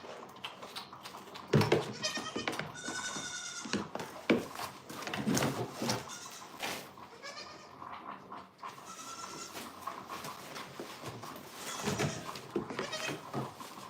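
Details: Goat kids on a farm bleat loudly and repeatedly, each cry a high, shaky, harmonic-rich call of about a second, spaced several seconds apart, over knocks, rustling and a faint steady hum indoors.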